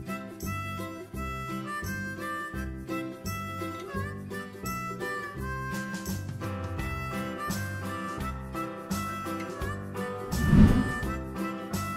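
Harmonica and guitar play a lively tune, with no animal voice to be heard.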